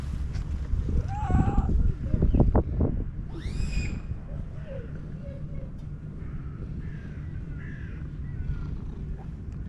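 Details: Black female stray cat, friendly toward people, making loving noises: a few short harmonic calls, one louder rising meow-like cry, over steady low rumbling background noise.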